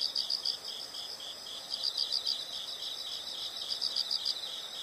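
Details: Insects in a nature recording producing a steady high shrill chorus, with louder quick runs of about five rapid chirps recurring every couple of seconds above a faint hiss.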